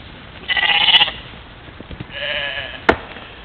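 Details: European mouflon herd at a waterhole in the morning, playing, trail camera recording in Czempiń forestry, Wielkopolska, Poland, 13 July 2018; two bleats, the first tremulous and bright, the second softer and wavering, with a sharp click near the end.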